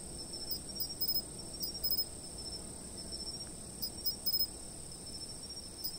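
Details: Insects calling at night from a fixed camera: a steady, very high continuous trill, with clusters of short sharp chirps in bursts near the start, middle and end, over a soft low rumble.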